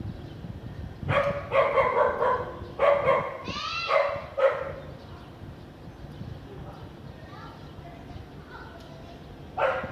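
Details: House dog barking on a sunny afternoon with little clouds in a clean area of Vientiane, Laos, 15 April 2021: a burst of loud harmonic barks roughly every half second, then a rising whine, softer yelps and one late bark.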